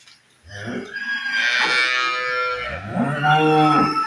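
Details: Holstein Friesian dairy cow on a farm beside the cattle market in Kadba village gives a long, loud, harmonic moo that rises then holds steady for about three and a half seconds, with a faint low start before it.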